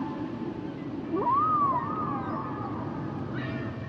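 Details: Humpback whale song unit: a single long tonal cry sweeping up, arching, then gliding slowly downward like a drawn-out moan, set against a low constant underwater rumble, with a faint higher call at the end.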